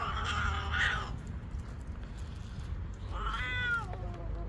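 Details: Kitten at play: two meows, a first harmonic-rich, wavering cry of about one second, then after a pause a second, rising-then-falling meow, over steady low background rumble.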